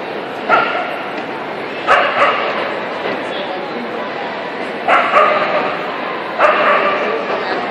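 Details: Kerry Blue Terrier competing in the 20-inch hybrid round of the 2013 AKC Invitational, four short, harsh barks spaced unevenly over several seconds against steady arena hubbub and voices.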